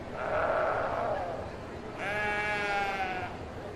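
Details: Domestic sheep: a hoarse, wavering bleat followed by a clearer, steady harmonic bleat lasting over a second.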